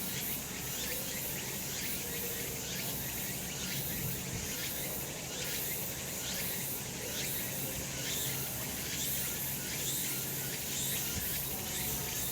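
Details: Summer mountain cicadas in a sunny spot, a continuous high hissing buzz with rhythmic throbbing pulses about once a second from several overlapping callers, steady throughout.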